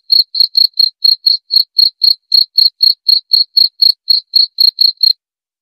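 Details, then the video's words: Steady cricket chirps, meant as relaxing bedtime sound and natural rat deterrent, pulse at around four per second for five seconds, then stop into silence. "Suara Jangkrik"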